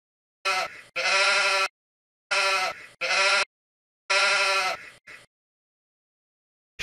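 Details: Sheep bleating in three bursts, each a short nasal bleat followed by a longer wavering one, separated by silence, with a child-oriented voice naming the animal in English and Vietnamese afterward.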